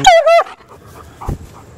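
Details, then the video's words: German Shepherd, 14 years old, making two quick high wavering yowls in a row, a whining talking sound, followed by quiet with a man's voice nearby. "Talking German Shepherds"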